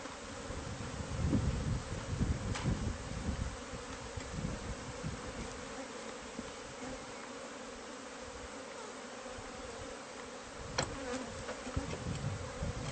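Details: Bees from a hive hidden inside the walls of a newly bought house, exposed during pest-control removal: a steady, low, droning hum held throughout, with deep rumbling bumps near the start and a few sharp knocks.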